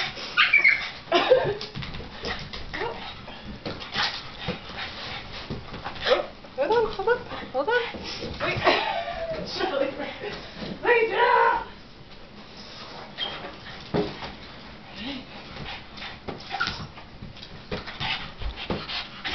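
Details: Shirley, a house dog upset while watching someone bat a giant floating balloon, whimpers in several strained, wavering squeals, loudest early and midway, with a person speaking and repeated hollow taps.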